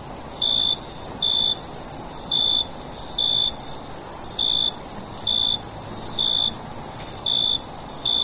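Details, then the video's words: Night-time crickets in summer. A sustained shrill trill carries on beneath a run of short, clear chirps repeated somewhat irregularly, about once a second, with a low steady hiss. "Cricket Noise at Night"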